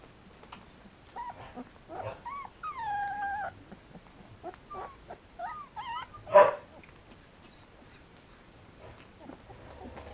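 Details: Three-week-old Samoyed puppies with their mother at a kennel in Germany, giving scattered short whimpers and squeaky yips, some rising and falling, one louder yelp midway, separated by quiet gaps.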